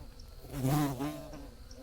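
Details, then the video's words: A bee's buzzing under a blue sky, one close fly-by where a rich, deep hum swells loud for about half a second, dips in pitch, then fades away against a soft low rumble. "Bees Buzzing Sounds"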